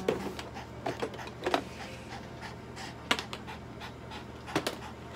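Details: Toy Poodle named Cookie undergoing treatment and injections at a veterinary clinic in Nagoya, Japan, indoors; quick irregular breathy panting bursts and soft clicks, around forty a minute, over a low steady room hum.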